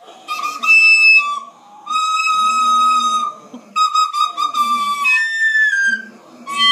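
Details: English Setter named Parker singing: long sustained whistle-like howls, some held steady and some sliding down, in several phrases separated by brief pauses, with a lower rumbling layer beneath.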